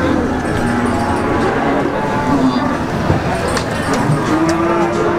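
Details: Peranakan Ongole cattle at the livestock market in Pati, Indonesia; faint drawn-out low moos rise above a steady din of market chatter and background noise.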